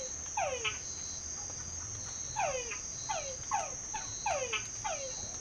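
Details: Chorus of frogs in a well at San Pedro Nonualco: descending whistle notes each closed by a quick tick, about six calls in quick succession, under a continuous high-pitched buzzing of insects.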